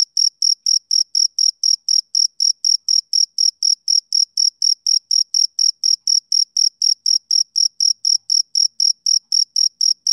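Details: Male cricket chirping in an unbroken, very regular series of short high-pitched pulses, about four per second, each bright and shrill with a fainter higher overtone; no other sounds are present.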